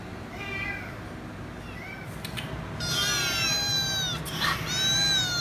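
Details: A noisy kitten calling for head rubs: two soft short meows at first, then a long, loud, drawn-out harmonic meow and another strong one after a brief clicking noise.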